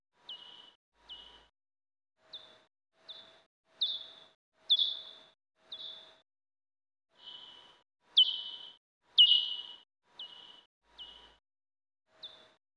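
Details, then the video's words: Pipistrelle bat echolocation, common or soprano, time-expanded through an iOS bat detector; about fifteen short calls, each a steep downward sweep settling into a flat tail, spaced irregularly, some louder, with a faint low steady tone beneath. "Audio Identification of Common British Bats - pipistrelles"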